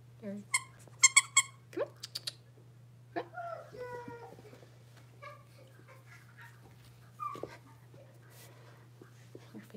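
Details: Indoor pen of five six-week-old blenheim Cavalier King Charles Spaniel puppies: a quick cluster of thin, high squeaky yips near the start, then softer whimpers and scattered small sounds in a quiet room.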